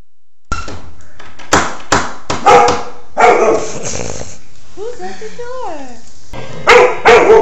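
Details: Golden retriever barking indoors: sharp, loud, single barks in an uneven series, a pause filled with brief squeaky, chirping sounds, then two more barks, with a person's voice mixed in.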